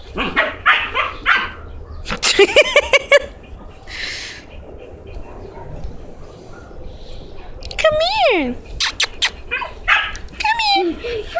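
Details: Young female dog that followed someone into a house, wanting to play: high, sliding whines and yelps that fall in pitch, heard after a stretch of a person calling and talking to her.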